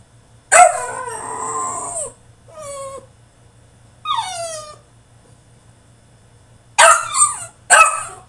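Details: French Bulldog in his cage throwing a tantrum: a loud drawn-out howling cry, two thinner falling whines, then a pause and two sharp harsh yelps close together; low hum throughout.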